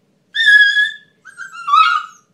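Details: A Siberian Husky howling "happy birthday" gives two drawn-out, tuneful howls, the second sliding downward in pitch.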